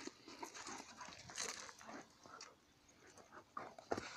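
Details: Fighting dogs give harsh, breathy growls and pants in uneven bursts, with a sharp louder snap near the end.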